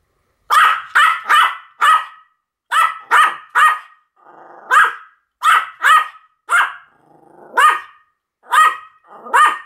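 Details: Sam and Marin, two Pomeranians, bark together in a duet. Rapid high yaps come in bursts of two to four, with brief gaps and a few softer muffled grumbles between the bursts.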